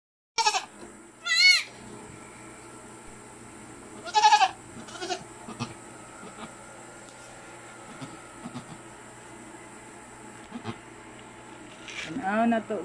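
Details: A pet goat that has just given birth gives a few short, wavering bleats, two near the start, one around four seconds and a louder one at the end, with quiet gaps and a steady high hum behind.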